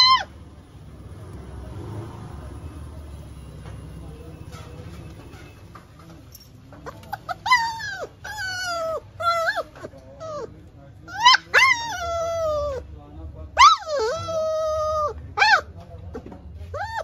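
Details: Labrador Retriever whining when denied food: quiet at first, then from midway a run of high, drawn-out whines, several sliding downward in pitch, some held and wavering, separated by short pauses.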